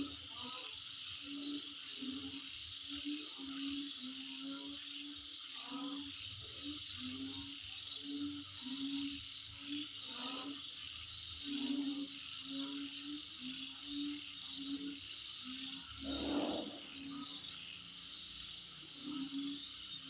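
Dense, steady insect chorus with high shrill buzzing and a low pulsing drone underneath.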